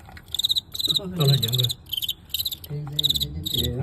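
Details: Crickets in a fight with a well-known Guangxi cricket, a narrow win caught live: rapid trains of ringing, pulsed chirps repeating roughly every half second throughout, with a man talking in Cantonese underneath.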